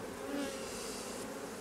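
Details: A hive of honey bees, worked by a beekeeper replacing drone-laying colonies, gives an even, dense buzzing hum with faint steady humming tones, no other clear sounds.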